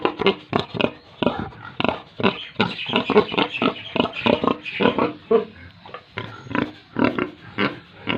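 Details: Pigs and piglets on a Tripura farm keep up a busy chorus of overlapping grunts and short squealy snorts, harsh and closely packed throughout.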